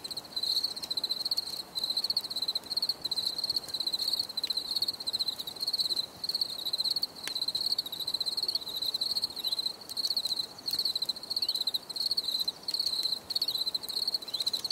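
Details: Cricket chorus recorded outdoors for relaxation: dense, shrill, trilled chirping held steady at one high pitch, with short breaks between bursts and scattered soft ticks.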